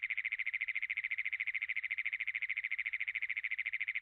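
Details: A Great Plains toad holds a long, high, harshly mechanical trill of rapid, even pulses without a break, like an engine that won't turn over.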